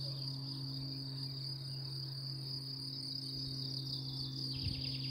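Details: Insects taken for cicadas keep up a steady, high, shrill buzz over a deep, constant mechanical hum around 11 a.m. on 1 May near Lac de Madine, France, beside ponies, horses and the lake. Cicada.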